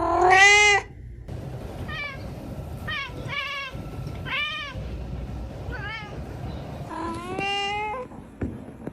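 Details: Domestic cat meowing: a loud harmonic meow opens, followed by a run of shorter, softer arched meows at irregular intervals over a low background hum.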